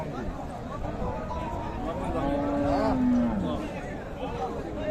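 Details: Cattle at Raniganj market, Dinajpur, Bangladesh, 7 April 2025, during price bargaining over a cow: a low moo swelling and falling midway, surrounded by dense crowd chatter.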